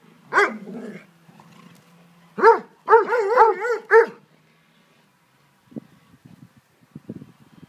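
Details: Three Dobermanns, Dolce, Gabbana and Zeus, playing in a garden: a burst of bark-yelps, then a run of five quick harmonic barks around the fourth second, followed by quieter scuffling and rustling noises.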